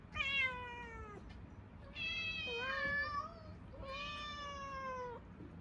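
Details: Munchkin cats meowing from hunger indoors: three long, drawn-out harmonic meows, the middle one wavering, each lasting over a second with short pauses between.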